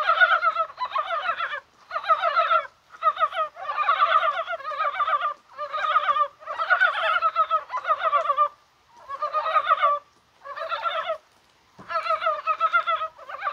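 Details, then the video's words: Mountain frogs calling on a rainy, spring-like January 21st, possibly while spawning: overlapping bursts of wavering, nasal croaks in dense clusters about a second long, separated by brief pauses, with no other clear sounds. "개구리가 울어요"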